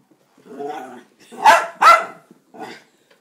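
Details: Pet Dachshund Bandit reacting to a vacuum cleaner: a low grumble, then two loud, harsh barks in quick succession and a softer short bark trailing after.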